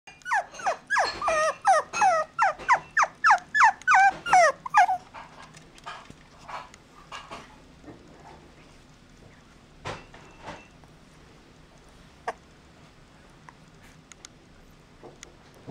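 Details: Puppy giving rapid high whining yelps, each sliding downward, about three per second for five seconds, then falling quiet with only a few faint clicks and rustles.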